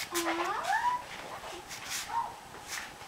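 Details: Barbet dogs, an adult mother and her loud-voiced puppy, vocalising back and forth during play: a drawn-out whine rising and bending upward, then a shorter yelping whine and softer grumbles indoors.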